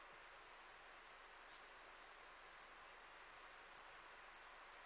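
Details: Club-legged grasshopper (Gomphocerus sibiricus) singing at Leogang, Austria, on 5 September 2023: after a brief quiet start, about twenty short, hissing, high-pitched pulses swell steadily in loudness, repeating at roughly two to three per second.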